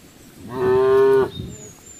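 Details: A single cow on a road gives one loud, steady moo lasting under a second, an even sustained tone rich in harmonics, rising in and cutting off cleanly, with faint faraway chirps afterward.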